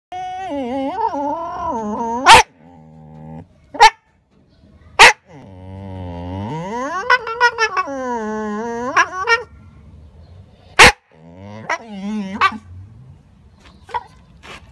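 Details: Shiba Inu said to look like a husky gives drawn-out, wavering yowls with a rich, tonal quality. The pitch rises and falls through several long calls, broken by sharp loud clicks and thumps between them.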